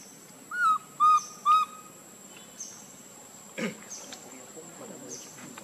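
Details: Baby monkey Lucie crying pitifully from hunger for milk: three loud, clear, arched whistle-like cries in quick succession, each about a quarter second long, then faint clicks and rustling against a steady background hum.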